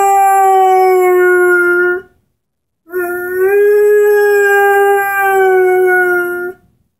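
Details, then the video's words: Henry the Airedale Terrier, aged 10 months, howls along with his orange squeaky ball: a steady two-second note, a pause, then a longer drawn-out howl rising slightly before holding and ending abruptly. "Henry, the singing Airedale"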